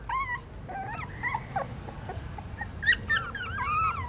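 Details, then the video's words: Newborn puppies trying to suckle at their mother in a pagoda stupa in Siem Reap, Cambodia; softer scattered squeaks and thin whines over a low rumbling background. "Amazing puppies sucking mom milk that is natural feeding"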